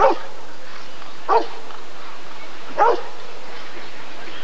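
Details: Three full, low barks from a Rottweiler during the 1994 ADRK breed survey (Körung), separated by gaps of over a second, with steady faint hum behind.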